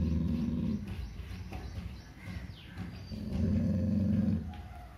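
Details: Labrador Retriever growling in fear-based aggression: two low, rough rumbling growls, the first under a second long and the second about a second, with quieter rumbling in between.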